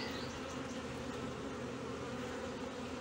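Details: Honey bee colony humming steadily inside its hive in Brno, 2022, after its own queen cell hatched before an inserted one; an unbroken low, buzzy drone for the whole clip.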